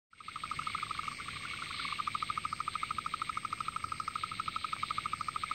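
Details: A painted burrowing frog of the Murray Valley, South Australia, gives its mating call, a steady, mid-pitched trill of quick pulses that runs on without a break over a faint background hiss.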